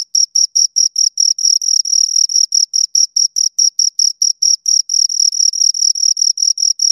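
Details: Two crickets produce a rhythmic train of sharp, high trilled chirps, evenly spaced pulses several per second with a thin higher ring above, loud and close, against complete quiet.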